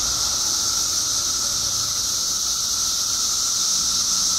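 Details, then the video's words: Mass chorus of periodical cicadas, billions emerged in Illinois after 17 years underground: an even, piercing high-pitched hiss with a continuous mid-pitched drone, unvarying throughout. "Billions of Periodical Cicadas Emerge After 17 Years Underground Cicadas Making Noise Illinois State"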